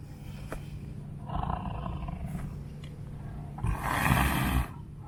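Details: An elderly female white tiger at a big cat rescue sanctuary, refusing offered chicken necks at feeding time, gives two rough, throaty roars about two seconds apart while a keeper talks nearby.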